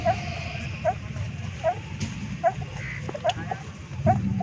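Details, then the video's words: Street puppies, six newborns about 25 days old, breastfeeding from their stray mother. Short, high squeaks repeat about every 0.8 seconds against outdoor background rumble. "Puppies breastfeeding and making sound"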